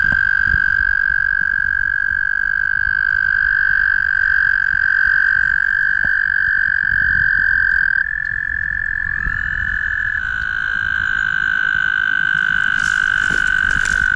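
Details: Several mating toads at the Guildwood waterfront trilling together: sustained, even, buzzy trills that overlap and shift slightly in pitch as one caller hands over to another, over constant low rumble, with a brief hiss at the end.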